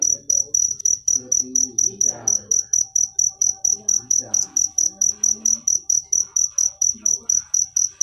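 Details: Rapid, high, shrill cricket chirps follow one another closely, about thirty in a row, with quiet scattered background noises under the insistent pulsing.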